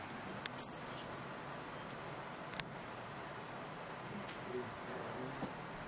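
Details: A yellow-winged bat (Lavia frons) at night around a lodge lamp on Kenya's Laikipia Plateau chews insects it caught: sharp, dry clicks, one louder crunch early on, then sparse faint ticks against a quiet background.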